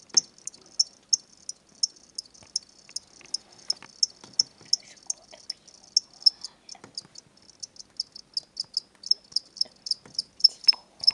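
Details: Two pet crickets from a pet shop, where they are sold as reptile food, chirping indoors: bright, high, evenly spaced chirps repeated roughly three times a second, with a brief pause mid-series and a quiet background.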